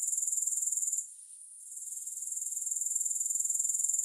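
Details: Grasshoppers with no music: a high, thin buzzing trill pulsing rapidly and evenly, dropping out near the one-second mark for about half a second, then slowly building back to full strength.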